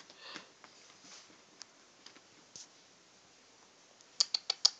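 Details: Quiet indoor room with soft scattered taps, followed by a quick run of four sharp clicks near the end.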